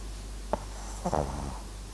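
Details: Papillon and Japanese Chin mix named MAX snoring while asleep indoors: a soft click, then a short rough, rattling snore with a low buzzy tone lasting about half a second, over a steady low hum.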